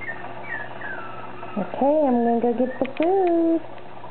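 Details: Dog waiting for food during morning play indoors: faint high falling whines, then drawn-out, wavering, howl-like vocal notes, rising and falling over about two seconds with a short break, in a small quiet room.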